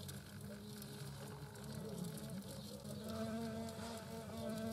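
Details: European hornets, queen and workers, around their nest: a low humming drone with shifting, slightly wobbling tones, growing a little louder toward the end.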